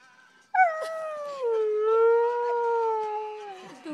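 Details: Dog singing, Jville, 2012: one sustained howl bursts in abruptly, slides downward, holds a steady tone for about two seconds, then drops in pitch as it fades; faint speech in the background.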